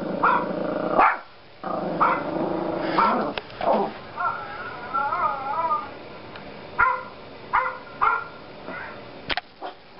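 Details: Yorkie puppy, a pet Yorkshire Terrier, barking at another dog shown on a computer: short, sharp harmonic barks in irregular bursts, some doubled, with a wavering, warbling whine in the middle stretch and quiet gaps between outbursts.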